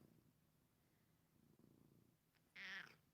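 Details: A male domestic cat purrs close by while being snuggled indoors: a soft, low, rumbling drone that swells twice over three seconds, then a brief, louder, higher voiced sound.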